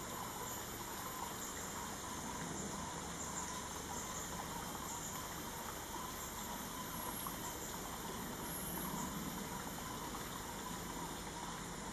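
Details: Steady broadband rushing like running water or a distant engine, with no animal calls standing out.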